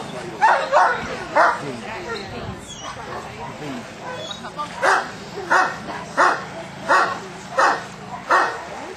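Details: Newfoundland dog Harry Potter during section D of a water test at Lake Bala, Wales, on rough water; after a stretch of wind and lapping, six sharp barks come about every two-thirds of a second with a low hum beneath.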